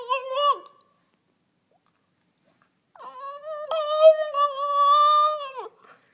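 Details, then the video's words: A two-year-old French Bulldog, relaxed and in full conversation, gives a short high moan, then after a pause a long sustained wavering vocal note with rich harmonics, almost sung; no other sounds. "Bouledogue français qui chante"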